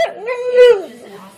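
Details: Dakota, a pet dog told to speak, gives a short warbling yowl about a second long, rising then drooping and fading into a low murmur.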